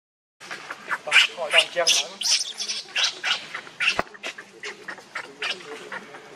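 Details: Hungry baby monkey Leo begs for milk that its mother will not give, letting out harsh, high, squawking cries in quick uneven bursts, several per second, with a sharp knock near the middle.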